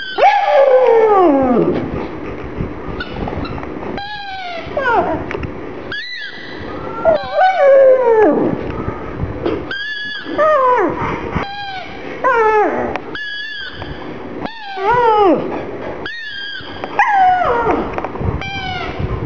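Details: Black pug whimpering and crying because it feels sad for a small ball. Repeated high, bending whines rise and then fall, in many short bursts with breaks between them, continuing throughout.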